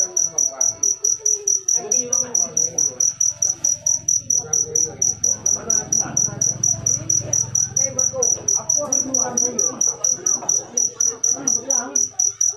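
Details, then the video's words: Sweet-sounding cricket song: a shrill, evenly pulsed chirp repeated over and over, with faint talking and a brief low rumble behind it. "Full suara Jangkrik manis. Suara merdu"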